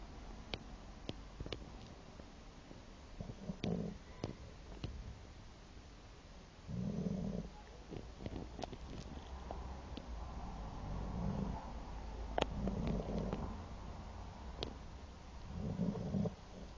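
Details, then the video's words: A sleeping Shar Pei snores in slow low rumbling breaths, each snore lasting about a second and spaced several seconds apart, with faint clicks and light background noise. "Shar pei bark and snore while sleeping"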